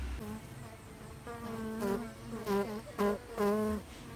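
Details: Bee. A bee's buzzing drones at a low, even pitch, swelling louder in brief bursts as it passes near. The hum wavers slightly in pitch between passes, with a faint background hiss.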